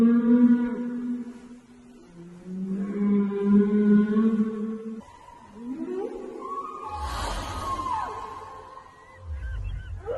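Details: A whale in the sea gives long, moaning tonal calls that rise and fall, with a deeper rumbling groan near the end.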